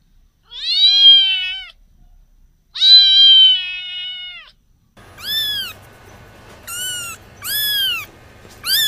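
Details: Cat meowing: two long, steady, slightly nasal meows, followed after an abrupt cut by four shorter, sharply arched meows over faint background noise.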